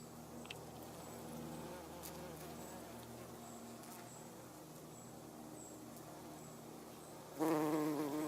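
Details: Garden bumblebee, Bombus hortorum, foraging on everlasting sweet pea flowers (Lathyrus latifolius); a low, steady droning hum through most of the clip, swelling into a louder, wavering buzz near the end as the bee comes close.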